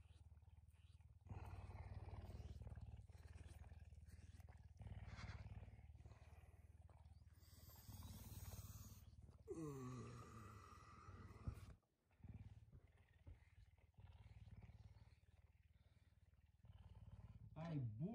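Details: Pet puma indoors in the early morning, waking its owner affectionately; a low continuous pulsing purr runs throughout, with a woman's voice, rustling bedding and a few rising squeaky tones mixed in.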